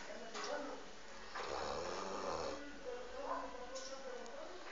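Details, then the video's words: Saint Bernard dog named Mauri snoring while asleep indoors: slow, low rumbling breaths that swell and fade, with a person speaking Spanish over the snores. "Mi perro san bernardo roncando"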